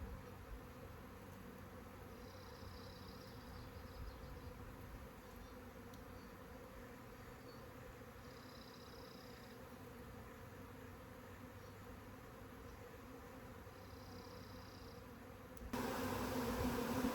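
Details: Honey bees of a swarm in a box, no queen yet seen, hum in a soft steady low buzz for most of the clip, then a much louder close burst of buzzing fills the final second and a half.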